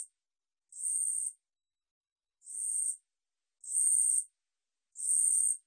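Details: Korean katydid (우리여치), recorded by the National Institute of Biological Resources, 2020, gives shrill buzzing bursts of about half a second each. Four full bursts come at uneven spacing over a silent background.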